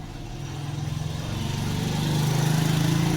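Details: An idling engine throbs with a rapid, even pulse that grows slightly louder, with no animal sound.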